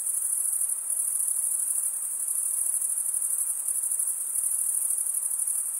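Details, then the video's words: Crickets chirp in an unbroken chorus, a bright, very high trill that wavers only slightly in strength over a few seconds, with no birds, wind or people audible. "Most relaxing cricket sound"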